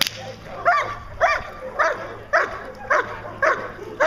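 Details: Achilles vom Darland Haus, a 14-month-old German Shepherd Dog in Schutzhund protection training, barks steadily with loud, harmonic, arched barks repeated roughly every 0.6 seconds, seven in a row, over a low background hum.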